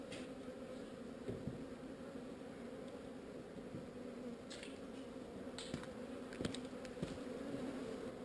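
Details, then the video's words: Swarm of honey bees during relocation, a uniform humming buzz with low and mid overtones throughout, overlaid by light clicks and snaps in the second half. "Relocating Bees"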